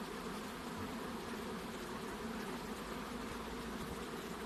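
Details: Honey bees crowd around a second hive box. Their loud, unbroken buzz holds a low, rich drone with a hissing upper layer, and the level stays steady.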